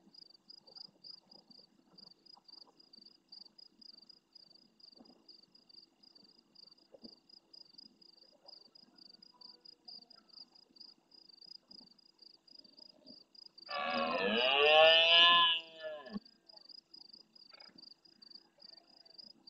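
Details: Red deer stag roaring early in the night beside a camera at the Francisco Bernis bird centre in Doñana's marsh, Spain, answering distant stags. After long stretches of cricket chirping, one loud, rough, harmonic roar of about two and a half seconds bursts out.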